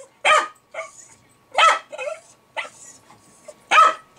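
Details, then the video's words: Jack Russell Terrier named Milo, indoors, barking excitedly at fermenting beer, perhaps at the bubbles or released gas. Sharp, loud barks at roughly one-second intervals, with softer yips between them and a faint steady hum in the background. "Jack Russell "Milo" Going Crazy Over Beer Ferementing"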